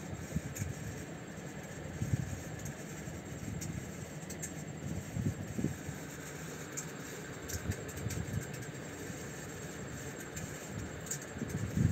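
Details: Continuous engine or fan hum with scattered light rustles and taps; no animal calls stand out.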